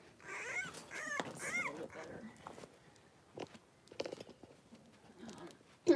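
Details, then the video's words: Blenheim Cavalier King Charles Spaniel puppies, three weeks old, five littermates playing and wrestling in their pen; a burst of high wavering whines with rough growly edges early on, then scattered squeaks and scuffling, ending in a sharp loud yip. "3-Week-Old Cavalier Puppies Wrestle and Play Live"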